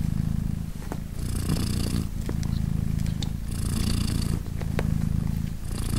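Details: Sweet purring of British Shorthair mother Polina as her three 3-day-old kittens meow and nurse; dense low buzzing purr with regular breathy pauses every two seconds and occasional faint clicks from the nest.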